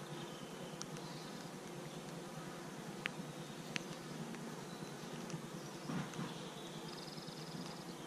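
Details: Newly arrived western honey bees, held on the hive base for 24 hours and now let out to get their bearings, give a steady low droning hum with a few sharp clicks.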